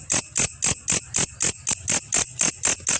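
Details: Belalang kecek grasshopper, its call used as training material for songbirds: a run of twelve crisp, high, hissing chirps at an even pace of roughly four per second, with a clean background.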